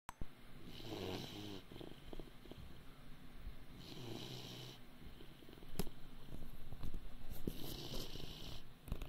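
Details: Great Dane puppy, 80 days old, snoring unusually while asleep: low rasping breaths recurring roughly every three seconds, each with a hissy exhalation, the snores growing louder and rougher toward the end.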